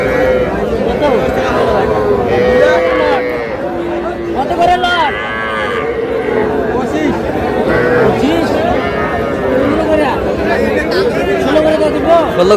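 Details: Bull and heifer calves being traded at a cattle market in Madaripur, Bangladesh; a few long, steady-pitched lows sound out near the start and middle, half-buried under loud haggling, shouting and crowd murmur.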